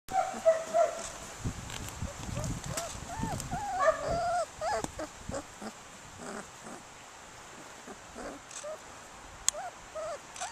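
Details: A black and tan female puppy makes faint, irregular, high arching whines with scattered clicks and soft thumps in the background.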